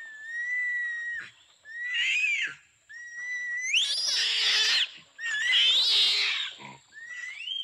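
An orangutan gives high, rising whistled squeals alternating with harsh, wheezy screeches.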